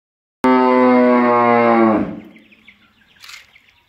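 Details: Cow sick with rabies gives a long, loud, steady harmonic bellow lasting about one and a half seconds, then trailing off into faint background chirps and a brief noise burst.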